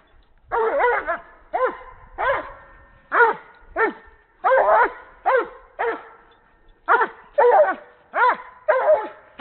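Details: Breeding Doberman in Canada playing with a horse ball, giving a run of about a dozen short, sharp, harmonic barks, some doubled, spaced roughly half a second to a second apart, with no other clear sounds.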